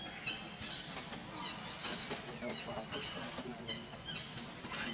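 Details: Macaques at Angkor Wat, a baby with its brother and mother: high, thin squealing calls with harmonics, repeated in quick bursts through the clip over a steady background hum and faint voices.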